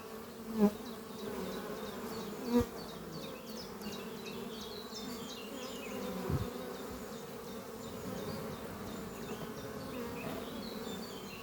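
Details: Honey bees flying at the hive Doppio on a spring morning, a horizontal hive made from an old French oak chest under trees, workers bringing in pollen: steady low droning hum with a few louder buzzes as bees pass close, faint bird chirps high above.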